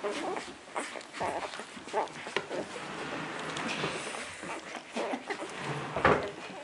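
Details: Four-day-old puppies nursing indoors, a steady wet patter of soft suckling clicks and smacks with brief faint squeaks, one sharper squeak near the end.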